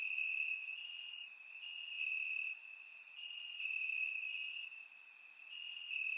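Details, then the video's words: Night chorus of crickets in Bulgarian grass on a warm summer evening, surround-recorded: continuous shrill trill holding one pitch, punctuated by bright bursts of higher chirping at irregular short intervals. "Cricket Sounds - Crickets Chirping at Night"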